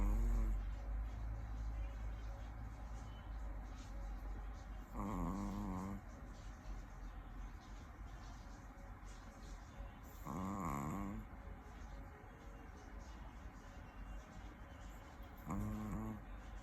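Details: Chihuahua snoring in its sleep: three short, rough, wavering snores spaced roughly five seconds apart, with low rumbling background noise between them.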